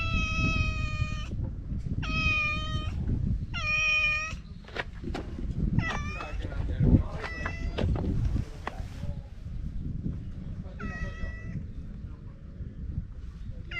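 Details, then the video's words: Chatty stray cat outdoors giving a string of about seven short harmonic meows. Three strong evenly spaced calls come first, then softer, shorter ones with longer gaps, all over a constant low-pitched outdoor rumble. "【おしゃべり猫10選/猫の鳴き声まとめ】Speaking cat special feature"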